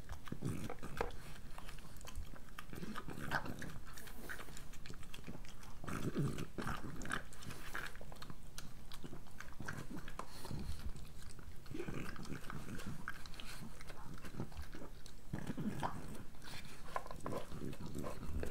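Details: Breakfast time for Moolah, a pregnant French Bulldog, close-miked for ASMR. Continuous crisp biting and chewing fills the room, clustered crunches with brief pauses, plus occasional duller thuds from the food bowl.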